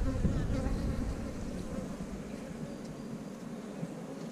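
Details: Honey bees crowding around their queen as she pushes her abdomen down into a cell to lay an egg; a dense, steady low buzz with a warm hum, continuous throughout.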